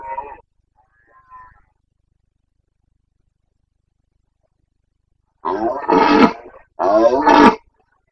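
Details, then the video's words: Red deer stag of the Carpathians in rut, Bucovina, 29.09.2022: after near-silence, two loud, raspy, harmonic roars follow each other closely, each under a second, coarse and broad in tone. "Boncănit / Carpathian stag Breeding season 29.09.2022"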